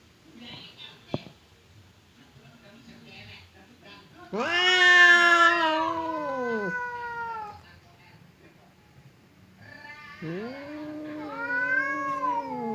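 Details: Domestic cats Temon, the fierce one, and Lelo, the calm one, separated by a barrier and sounding ready to fight: after a soft click and low murmur, a loud arching yowl, quiet, then another rising and falling wail.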